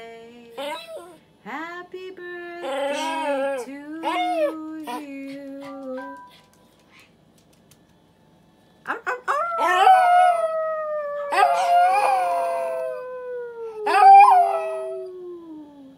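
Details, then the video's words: Elijah, a Yorkshire Terrier, howling along as Happy Birthday is sung: long wavering tonal howls that slide slowly downward, mixed with human singing voices early on, then a sustained dog howl after a brief pause. "Cute Yorkie Singing Happy Birthday!"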